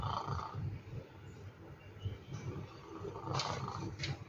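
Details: Sleeping domestic cat snoring, a low rumbling breath repeated in quick pulses, with a few brief higher rustles and clicks toward the end.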